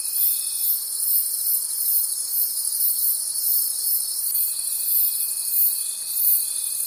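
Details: Crickets in a forest at night: a high, rasping chorus throbbing in fast even pulses, with a faint steady whine that briefly opens, goes quiet, then returns for the final few seconds.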